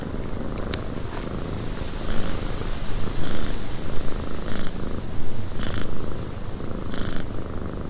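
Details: Cat in a wind-buffeted cabin purring, a soft, deep vibrating rumble that grows stronger after two seconds in rolling pulses, accompanied by constant wind and several short bright crackles.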